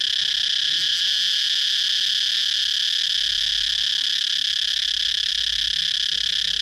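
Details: Cicada droning in one continuous shrill buzz, even in pitch and loudness throughout, with only faint low rumble beneath.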